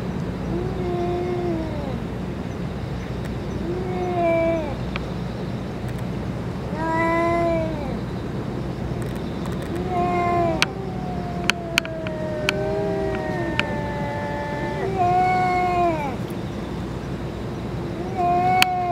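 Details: Meowing among stray cats where the boss cat has eaten food and medicine: a run of repeated, bowed, harmonic mews, some long and wavering, spaced every second or two over steady low rumble and occasional sharp ticks.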